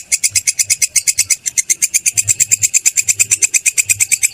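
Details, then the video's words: Kecek or kerik grasshopper, used as a practice recording for teaching cage birds: fast, evenly spaced shrill pulses, roughly nine each second, forming a continuous buzzy chatter, with soft low thumps in the background. "Suara belalang kecek/kerik"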